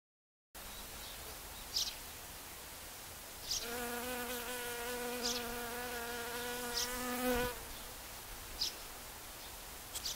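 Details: Honey bees working the flowers of a raspberry field in full bloom, the first part filmed in four-times slow motion: a steady humming buzz with stacked overtones lasts about four seconds mid-clip, with brief faint ticks scattered around it.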